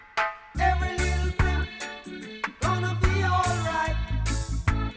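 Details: Reggae-style music with punchy bass and drum beats and layered instruments; no animal sounds are heard.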